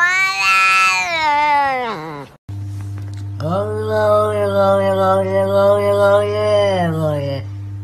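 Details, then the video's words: Pet cat giving long, drawn-out talking meows: a high meow sliding down in pitch, a brief break, then an extended wavering meow over a steady background music drone. "Cats talking"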